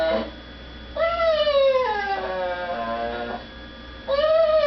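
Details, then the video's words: Female dog crying at home, held back from begging at the dinner table; a short yelp, then one long high whine gliding slowly downward for over two seconds, and a fresh whine starting at the end. "My dog makes funny noises."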